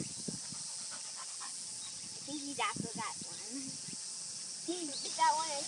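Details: Kishu x Shikoku litter puppies aged 52 days at play give short wavering whines and soft yelps in irregular bursts, with quiet snuffling between them over a constant background hiss.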